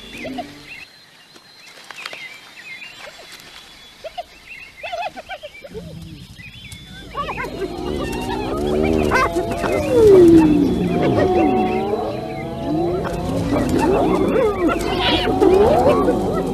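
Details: Hyenas fighting: after several quiet seconds of faint scattered noise, a loud chaotic mix of wavering cries, sliding yelps and harsh growls builds up and continues to the end.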